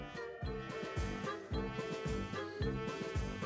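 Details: Upbeat swing-style jazz with brass and a steady bouncing beat plays, with no animal voice heard.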